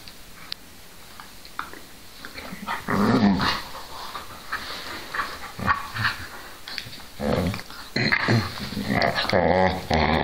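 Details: Whippets Milo and Gino: low, throaty growls and harsh vocal bursts come in several bouts near 3, 5.5, 7.5 and 10 seconds, with brief whimpering tones between them and scuffling movement noise.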